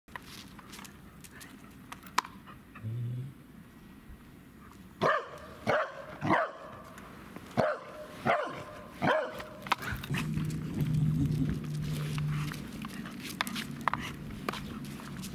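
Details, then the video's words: Welsh Corgi barking excitedly at cats, recorded on 12 April 2016: a burst of six or seven sharp, clipped barks at irregular intervals over a few seconds, set against a low steady hum and a faint tonal drone. "barks at cats"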